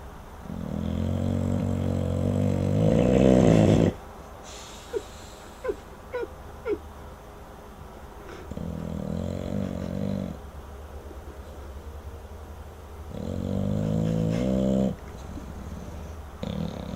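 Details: Chopper, an English bulldog, snores while asleep: long rasping low breaths with a droning, harmonic buzz, each lasting a few seconds, separated by quiet pauses. A few brief soft clicks or squeaks sit in one pause.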